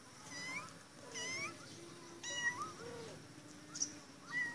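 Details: A caged female cat meows insistently, wanting to be let out: repeated rising and falling high meows about once a second, some drawn out and wavering, in a small indoor room.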